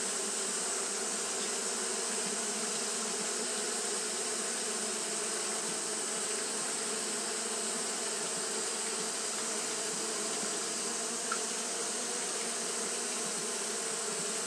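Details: Japanese honey bees fanning continuously on a hot day: a steady, dense hum with low droning bands and a broad hiss above, holding an even level throughout.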